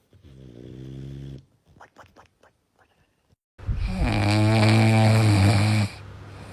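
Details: Sleeping dogs snoring indoors, one of four shown: a low harmonic rasping snore for over a second, a few soft snuffles, then a louder, longer buzzy snore lasting about two seconds.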